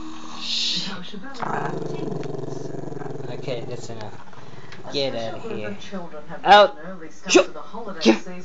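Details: Chester, a camera-shy Maltese-Shih Tzu pup, growls at the camera: a steady, low, rumbling growl held for about three seconds, then a person talking with a few sharp louder bursts near the end.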